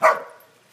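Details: A corgi herding alongside other corgis and another dog gives one sharp, mid-pitched bark that fades quickly.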